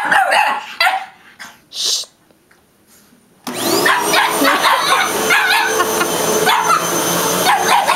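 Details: Yoshi, a Boston terrier, barks at a vacuum cleaner indoors: a few loud separate barks, then the cleaner's steady roar starts and rapid yapping barks continue over it.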